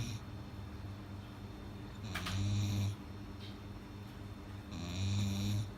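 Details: Sleeping dog snoring loudly indoors: two long, deep rumbling snores with a nasal buzz, separated by quieter breathing, each lasting under a second.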